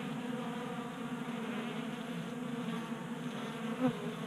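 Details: Warm-January honey bees in a Colorado garage feed at a 3D-printed tray; a steady buzzing drone, rising into a short louder burst near the end as a bee flies close.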